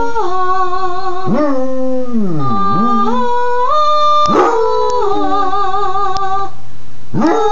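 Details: Basset Hound Sport singing with the owner's mother: a howl that swoops deep down and climbs back, followed by sharp yelping onsets and further drawn-out wavering howls, with a woman's held notes underneath.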